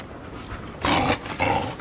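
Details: Golden Retriever puppies, 144 days old, give two short, rough growling yelps in quick succession while five littermates play together (filmed 15 September 2018).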